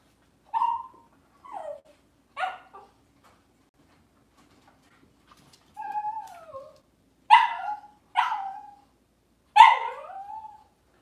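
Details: Cavalier King Charles Spaniels filmed by a kitchen camera on a cloudy Monday morning: a series of about eight short, whiny yips, each falling in pitch, spaced irregularly over eleven seconds, growing louder toward the end.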